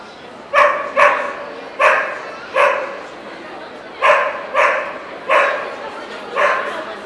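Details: Welsh Corgi barking repeatedly at the Ostrava NVP show, 14 April 2012: eight loud, short barks, mostly in pairs about half a second apart, with faint voices in the background.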